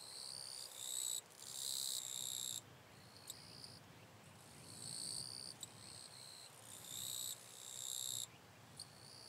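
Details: Wild eastern Japanese katydid from northern Miyagi, Japan, recorded August 22–23, 2024: repeated harsh buzzing bursts of one to two seconds, loud and soft phrases alternating, with occasional clicks and faint background insects.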